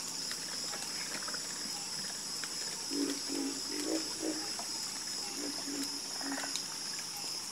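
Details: A frog chorus with brief low croaks grouped in runs of four or five, then pausing before the next run. A continuous high insect-like trill and hiss fills the backdrop.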